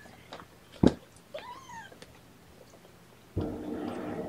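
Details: Kitten indoors at the first morning feeding with syringe-fed formula: one short, clear mew that bends upward, preceded by a sharp knock and followed by a burst of rustling handling noise.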